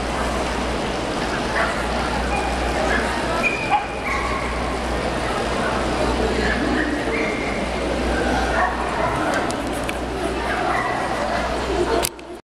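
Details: An Alaskan Malamute at an international dog show in Rīga, Latvia, on 10 June 2012 gives short barks, yips and wavering, drawn-out talking whines, with a human voice and a steady background hum.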